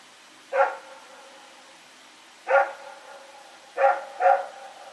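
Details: Rex, a dog, running around and barking at night, recorded September 21, 2018: four sharp barks, two spaced singles then a quick close pair near the end.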